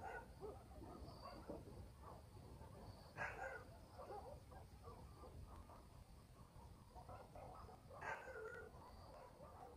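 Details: Distant village dogs at night in the country, giving scattered faint barks with two louder sharp barks standing out a few seconds apart, over a constant low night-time ambience.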